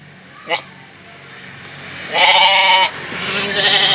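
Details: Young Batur feeder sheep being shipped to a partner farm: a sharp click, then a single strained, nasal bleat of under a second, with a fainter bleat at the end over a steady engine-like hum.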